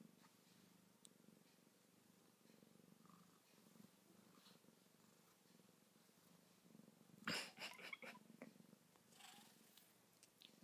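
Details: Pair of pet cats dozing and waking, with a soft, steady low purr running throughout and a sharp rustle or thump partway through.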